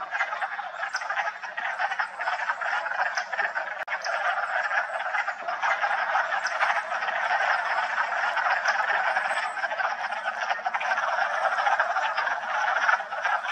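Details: Wood frog (Lithobates sylvaticus) chorus in a vernal pool at a park in Massachusetts on March 14, early spring: dense overlapping clucking, duck-like croaks, steady and continuous throughout.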